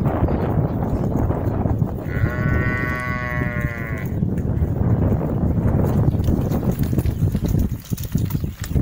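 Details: Sheep from a group of eight, one wavering harmonic bleat lasting about two seconds, heard over heavy wind rumble and handling noise.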